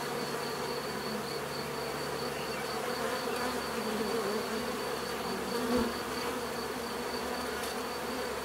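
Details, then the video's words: Dense natural bee buzzing, a soft even drone of many insects with a brief closer fly-by around the sixth second and a faint steady high whine in the background. "bees therapy relaxing natural buzzing sound"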